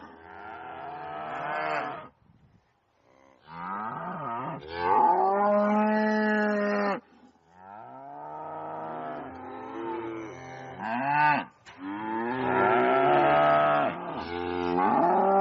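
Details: Cows mooing loudly on a farm: a series of long, harmonic, droning moos with sliding pitch, some rising then falling, separated by short silences, with several overlapping calls toward the end.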